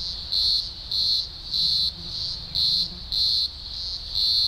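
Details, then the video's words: Green grocer cicadas at a large emergence in the Blue Mountains, Australia, early October 2020, thousands singing together: a loud, high, shrill droning chorus swelling in steady pulses roughly twice per second, with brief dips between surges. "Blue Mountains Cicada Chorus"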